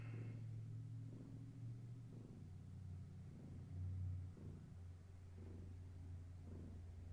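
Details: Domestic cats in the evening, a long-haired tabby mother named Gaia with her kittens indoors: low, steady rumbling purr with a soft pulse from each breath, cycling roughly every half second, and a faint voice at the start.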